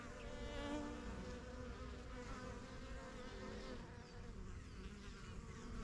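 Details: Honey bees flying in and out of a new yellow backyard hive, the strongest colony of a first-year beekeeping start in spring 2023; a dense, steady layered drone of many wings with overlapping low hums.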